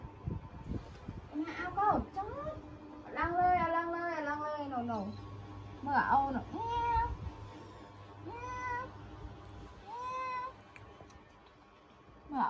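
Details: Little kittens being put to bed at a countryside home give repeated high, wavering meows, some long and wailing, some short and rising. Soft Vietnamese speech comes and goes beneath them.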